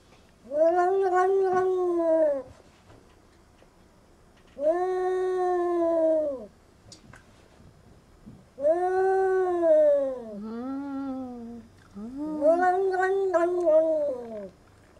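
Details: A cat 'talking' in four long, drawn-out meows about two seconds each, spaced a few seconds apart, each wavering up and down in pitch, the later calls split into two linked parts; the room is otherwise quiet.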